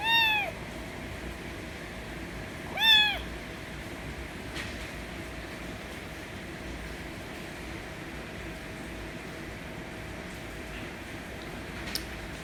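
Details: Loud meowing from a white kitten demanding affection: two sharp, arching meows near the start, about three seconds apart, followed by a long stretch of near-silence broken only by faint clicks.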